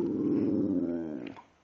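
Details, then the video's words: Female dog Precious, recorded on 5/6/2011 while talkative, produces a steady, throaty, wavering groan that tapers off after about a second, followed by a woman praising her as a good girl. "Precious sings and talks!"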